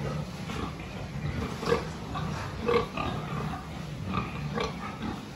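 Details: Pigs being checked on a farm, 26 October 2023, giving short, distinct grunts roughly once a second, each a brief nasal burst over continuous low rumbling from the herd and steady barn noise.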